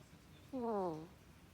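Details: Koppa, the household pet ferret, snoring in its sleep in a human-like way: one drawn-out, tonal, whistling snore that slides gently downward, with a quiet room around it.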